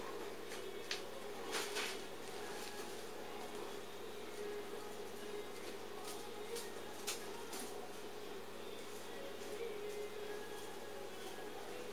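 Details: Quiet room tone with scattered knocks and clicks and a faint steady hum, and no animal voice.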